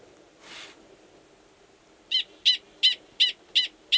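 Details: Gunnison's prairie dog, a male calling to an estrous female in her burrow, Valles Caldera National Preserve, New Mexico, in March; a brief soft rustle, then six crisp high chirps repeated rapidly and steadily.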